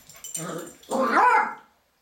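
A Cairn Terrier puppy gives a short rough growl, then a louder rising, whiny vocal burst.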